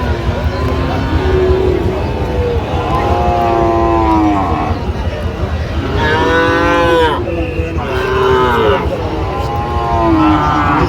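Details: Sahiwal bull calves at a cattle market, bought by a farmer from Chattogram, Bangladesh; several drawn-out mooing calls, some rising and falling, over crowd chatter and market noise.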